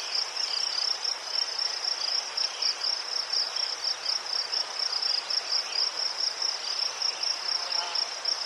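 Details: Ukrainian crickets sing a steady, shrill chorus of fast pulsing chirps that runs unbroken at high pitch, with soft background hiss and no other clear sounds.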